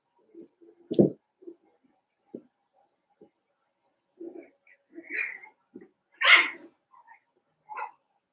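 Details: Five-week-old Cavalier King Charles Spaniel puppies in Daisy's indoor puppy pen give scattered short squeaks and whimpers, a stronger low yelp near the start and a louder high, strained whine later, separated by quiet gaps in a small room.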